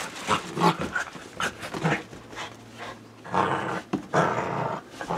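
A Corgi makes a run of rough, grumbling growls and short yips in quick, uneven bursts.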